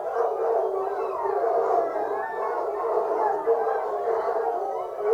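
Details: A pack of foxhounds on a fox hunt bays together in a continuous, overlapping chorus of mellow, wavering howls, with hunting horns part of the scene.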